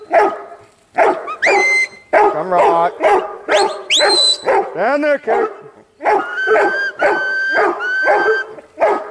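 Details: Huntaway giving rapid, irregular barks mixed with yelps, whiny wavering tones and rising squeals. A short pause comes midway, then the barking resumes over high steady tones.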